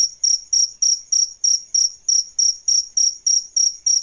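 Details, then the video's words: Adult male and female crickets, kept as a tutor sound for training songbirds, give loud high-pitched chirps repeated about three times a second, each a short buzzy pulse, about thirteen in a row over a quiet background. "Suara JANGKRIK Jantan dan Betina"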